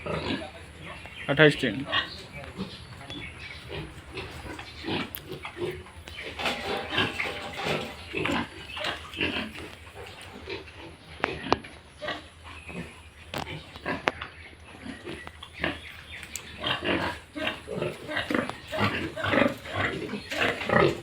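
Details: Yorkshire and Hampshire pigs on a farm in Bongaigaon, Assam, with piglets, giving dense bursts of harsh grunts and squeals through most of the clip, mixed with people's voices in the background.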